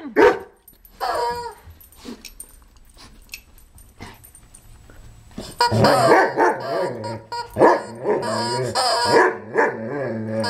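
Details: Moby, a white Poodle, on his birthday with a loud rubber chicken toy: after a quieter start, bursts of rough, excited barking and yipping crowd together in the second half, overlapping noisy squeals and background sound.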